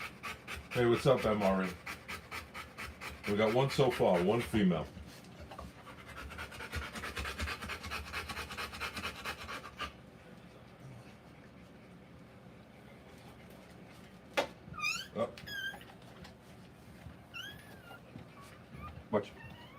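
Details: Rottweiler panting during a live birth of puppies: rapid, regular breaths for the first ten seconds, mixed with human voices early on, then a quieter stretch with a few short high squeaks near the end.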